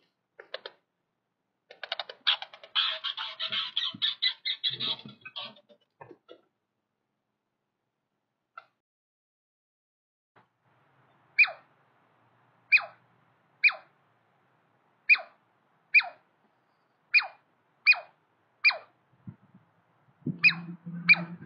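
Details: A male and a female Douglas squirrel in a territorial dispute give a rapid chattering burst, then sharp descending chirps repeated about once a second.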